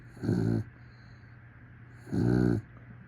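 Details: A dog snores in its sleep, giving two short, buzzy, low rumbling snores less than two seconds apart, separated by near silence over a faint constant hum.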